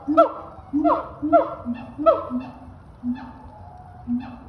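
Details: A siamang gives loud, honking barks with sharply falling notes, alternating with low booming pulses.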